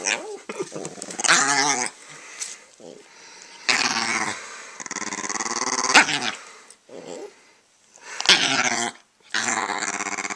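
An Italian Greyhound growls and grumbles in rough, rising bursts while a person talks to it.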